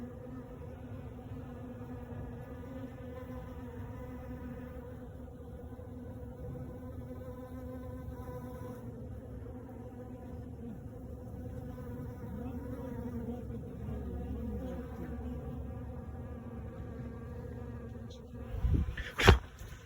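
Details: Crowds of honey bees around cedar and maple sawdust at a working sawmill as it got warmer; an unbroken, low, even humming drone with layered tones, ending in a sudden loud clattering thump near the close.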